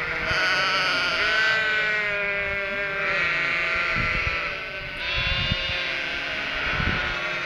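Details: Cotswold ewes and three-week-old lambs bleat nonstop, anticipating food from the farmer; long quavering baas overlap in a steady wall of sound, with a few soft thuds underneath.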